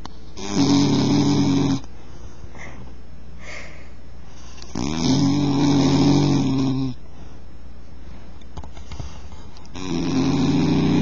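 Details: Bull terrier asleep and snoring: three coarse, droning snores, each one to two seconds long, separated by soft quiet breathing.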